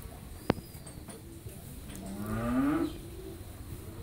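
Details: Friesian heifer calf, eleven months old, raised naturally at a dairy farm in Pabna, Bangladesh; one drawn-out, rising moo swells from about two seconds and fades near three, after a sharp click early on, over low background hum.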